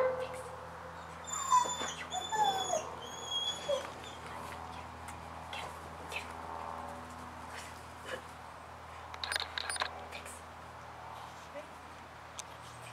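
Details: A Miniature Pinscher gives a few high, thin whines and yips, followed by soft scattered noises.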